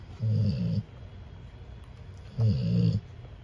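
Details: Snoring Cane Corso pup under a heat lamp, recorded 9/23/24 after a vet trip: two deep, throaty snores, each about half a second long, separated by a quiet pause.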